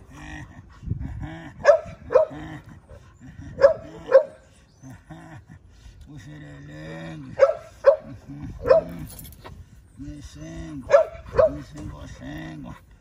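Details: Pit Bull dog giving drawn-out, low, moaning vocal tones in several bursts of about a second, some rising and falling, broken by sharp bright clicks or yips; quiet background between bursts.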